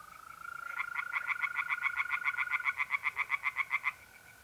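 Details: Tree frogs singing in a pond on an April night in north-eastern Italy: a rapid series of about twenty loud, evenly spaced croaking pulses over three seconds, over the steady high trill of mole crickets.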